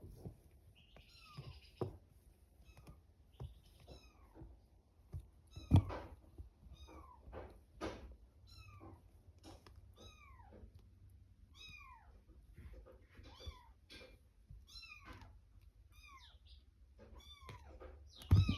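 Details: Kitten mews from Kitto the cat and her kittens indoors: a steady stream of short, high, arching cries, many overlapping, some rising then falling, with soft thumps and low room hum beneath.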